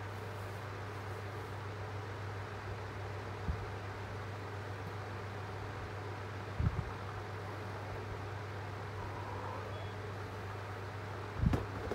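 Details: A steady low hum of traffic or engine noise runs throughout, broken only by a few brief knocks, with no animal voice.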